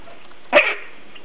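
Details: Three-week-old English Bulldog puppies from one litter at play; a single short, sharp high yip with bright harmonics rises briefly out of a quiet indoor background.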